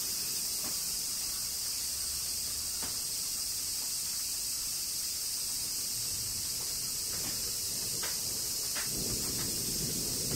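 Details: A steady, high, hissing drone of cicadas fills the air without pause in summer rain in Kyoto, Japan, with soft taps of falling drops.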